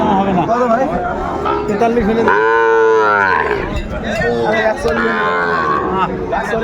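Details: Sahiwal bull calf at Ambari livestock market, where Faridpur farmers bought calves on 29 April 2024, lets out a loud, rich, one-second moo, then a second lower bellow, with men haggling over prices all around.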